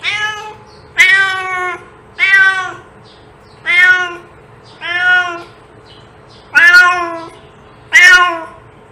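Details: Insistent cat meowing, seven loud harmonic meows in a fairly steady rhythm, some sharply attacked and piercing, with a low hum underneath.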